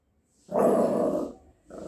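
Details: A Lhasa Apso puppy, after playing, gives a drawn-out, hoarse bark, then starts another.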